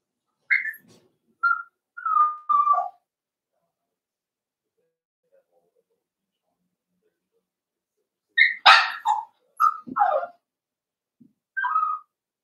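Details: Cavalier King Charles Spaniel puppies playing in an indoor home pen: scattered short squeaky yips and whines, a long quiet gap, then a louder yelp followed by more high yips.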